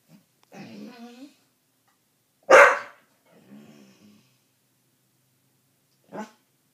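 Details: Dog whining, recorded indoors at home: drawn-out nasal whines with stacked tones, a sharp loud bark near the middle, more low whimpering, then a short yelp at the end; a person urges encouragement afterwards.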